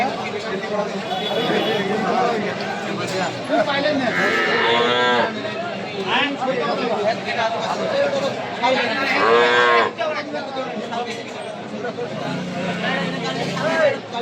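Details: Small cattle at Preeti Bazar cattle market in Setabganj, Dinajpur, Bangladesh, on 4 September 2024, gathered for a farmer from Raozan; long, drawn-out harmonic moos rise above busy market chatter and voices of traders.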